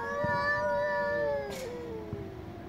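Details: Domestic cat giving a long, loud, angry meow, a steady drawn-out wail that slowly falls in pitch toward the end, with a brief noisy burst midway.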